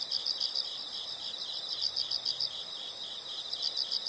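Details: Faint chorus of insects giving rapid, high-pitched pulsed chirps, repeated several times a second, over a soft background hiss.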